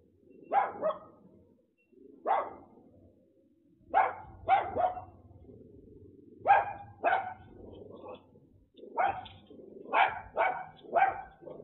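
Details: With a delivery driver in the United States, a small dog that follows his commands and waits lets out a run of sharp barks, often in quick pairs or triplets, with short pauses and low hum underneath.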